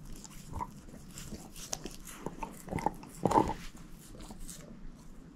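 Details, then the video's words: Moose, a shepherd mix female, working on a bone inside: low, soft gnawing with short crackling bites, the strongest crunch cluster a little past the halfway point. "SHEPHERD EATING BONE ASMR"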